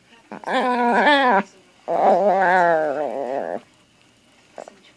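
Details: Dog playing with its new toy gives two drawn-out, wobbling grr sounds, the first about a second long and the second nearly two seconds, pitch bending up and down.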